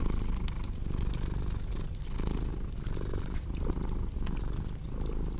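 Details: Rumbling cat purr dominates, a dense low buzz swelling with each inhale and exhale, while a fireplace crackles softly and pops intermittently nearby indoors.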